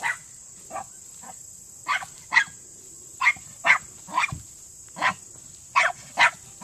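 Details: Male Miniature Pinscher barking underground while working a Senior Earthdog leg, 10 seconds to the quarry; short sharp yaps in irregular bursts, some paired, with gaps between, over a constant high-pitched hiss.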